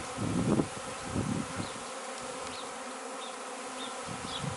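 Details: Honey bee swarm on 26/5/2013, gone to a neighbour's property, being gathered into a cardboard box: a dense, steady hum with clear layered tones, low bumps and handling thuds near the start, and faint short bird chirps high above.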